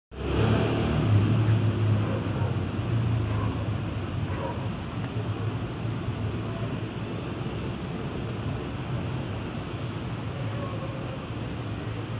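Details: Cricket giving a steady, high, shimmering trill that pulses slightly throughout, with a fainter higher band above it, over a low rumbling background hum.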